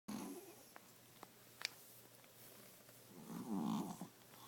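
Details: Bunnie, a 12-year-old 5 lb male Pomeranian, snoring while asleep indoors; two breathy rasping snores, a short one at the start and a louder, longer one near the end, with a quiet room between.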